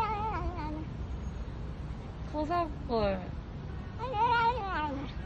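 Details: Korean stray street cat meowing: a string of short, bent, harmonic meows, the first few quick and wavering, then a longer rising-and-falling meow near the end, over low background rumble.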